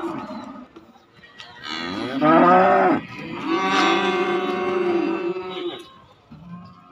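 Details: Cattle at an Indonesian livestock market selling calves and young bulls: a loud harmonic moo of about a second, then a longer drawn-out bellow, with a fainter lowing before and after amid a busy market din.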